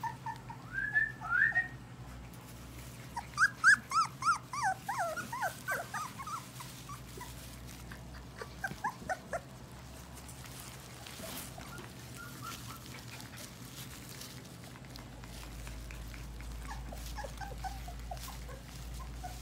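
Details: Four-week-old English Golden Retriever puppies, several together; high whining whimpers and squeals bunch in the first ten seconds, rising and falling, then fade to a steady low hum with only scattered faint whines.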